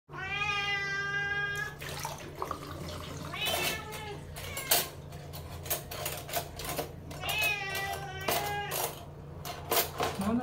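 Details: Pet cat Srintil crying loudly for food indoors, two long harmonic meows with a rising-falling pitch, one at the start and one near the end, separated by clattering knocks and a steady low hum with faint voices.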